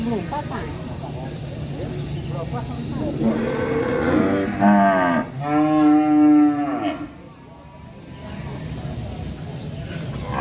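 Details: Agitated cow in the village lowing in a drawn-out moo that breaks into two linked parts, the second fuller and slightly falling, over steady low background noise.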